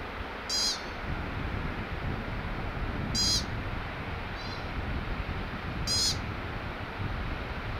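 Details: An American pika gives short, shrill eep calls, three strong ones spaced roughly two to three seconds apart and a softer one between, above a constant low, breezy roar.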